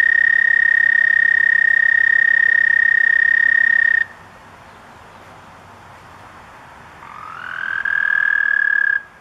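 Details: Male American toads at a backyard pond give long, steady, high musical trills in spring, their mating call to attract females for breeding.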